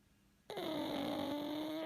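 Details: One drawn-out snore from a sleeping pug starts abruptly after a brief silence: a loud, nasal, harmonic whine that dips slightly in pitch and then rises again. Nothing else is heard in the quiet room.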